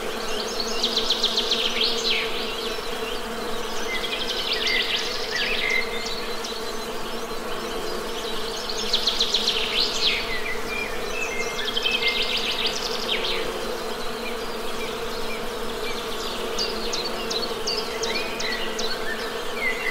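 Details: Dense, steady buzzing of Western honey bees forms a constant low drone beneath repeated flurries of shrill bird twittering and short whistled notes.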